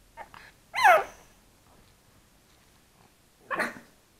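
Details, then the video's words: Three-month-old pug puppy trying to bark, filmed on an SJ4000 camera: a faint yap, then one strong squeaky bark with a rising-falling tone near one second, and a second rougher, breathy bark about three seconds later, in a quiet room. "Pug Puppy Barking"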